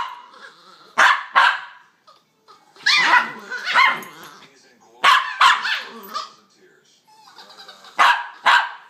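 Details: Pair of pups during a play fight, making odd monkey-like noises: clustered yelps and squealing barks in quick doubles and triples, some with growly tails, separated by short pauses.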